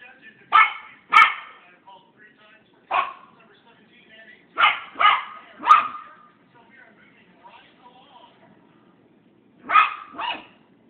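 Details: Maltese puppy barking while confused by its reflection in a mirror, wanting to play with the 'other puppy'. Sharp, high yips come in pairs and small clusters, about seven in all, separated by short quiet gaps.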